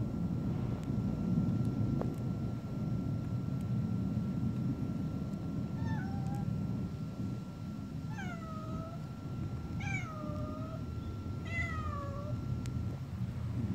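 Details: Stray cats outdoors giving a series of high, falling meows, each about a second long, four calls spaced roughly two seconds apart over a steady low rumble of traffic or engine noise.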